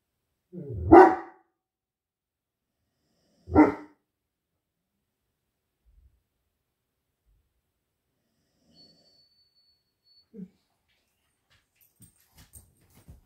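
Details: Great Dane and Poodle indoors barking at something outside: two loud, deep single barks about two and a half seconds apart, then near silence with a few faint clicks and taps.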